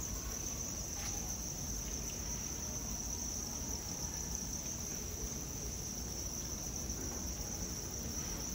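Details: A dense chorus of farmed crickets, raised commercially, makes a steady, high, shimmering trill with no breaks.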